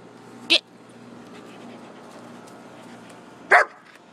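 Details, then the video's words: Two dogs, a poodle and a shepherd, playing out back; two sharp, loud barks about three seconds apart over a quiet background, with a woman's voice nearby. "Poodle and shepherd playing out back"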